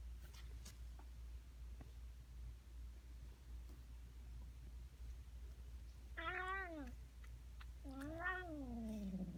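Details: Cat making strange noises: after several seconds of low rumbling background and faint clicks, two drawn-out meows follow, each rising then sliding down, the second longer and ending in a low drawn tail.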